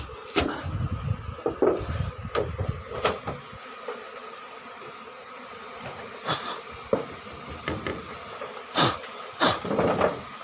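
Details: Asian honey bees of a colony being harvested from a cavity nest under the roof of a small rice-field hut in Thailand, five combs taken; a steady low hum of the bees runs beneath sharp knocks, handling clicks and faint voices.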